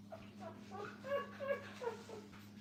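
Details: Puppies with their mother give soft, short, high whimpering squeals that come in quick succession, some slightly rising, over a steady low electrical hum in a quiet room.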